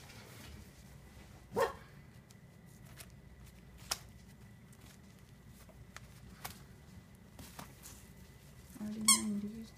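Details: Four-week-old Cavalier King Charles Spaniel puppies, which have only just started playing, give a sharp single bark, then scattered faint yips, and finish with a high squeaky yelp, over a steady indoor hum.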